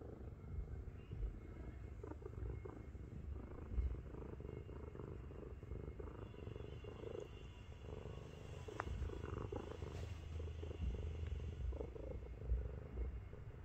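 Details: Miru, a 7.5 kg house cat, climbs onto a person's belly and purrs loudly while being affectionate, a tank-like rumbling. The purr is a steady low throbbing drone with a pulsing mid-range band, continuous throughout in a quiet room.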